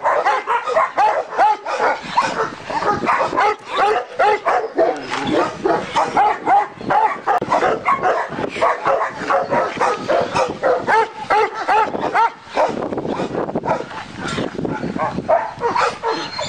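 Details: Large Turkish Malakli dogs and a Korean Jindo dog at a kennel; sustained chorus of overlapping barks, yips and whines, steady and loud, with brief pauses.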